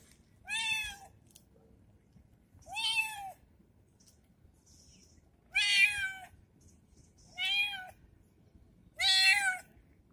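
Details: Kitten, noisy after being treated, repeats five strong meows roughly every two seconds, each slightly arched and harmonically rich, against a faint low hum.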